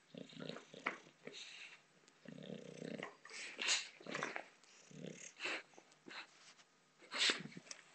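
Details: Female bulldog Botox growls while playing with a soccer ball in a small room, giving uneven low grumbles and huffs with sharper snorting bursts and bumping noises of play mixed in.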